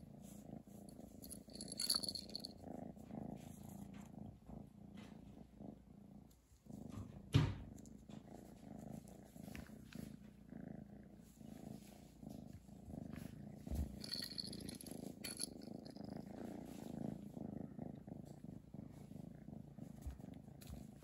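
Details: Chi, a domestic cat, purring steadily around a Christmas present indoors; a continuous low rumbling purr runs throughout, with soft rustling and a brief sharp knock near the middle.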